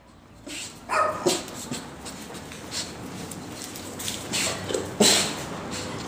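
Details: A five-month-old female Boxer puppy gives a few short, sharp yelping barks, near the one-second and five-second marks, over a steady background hiss.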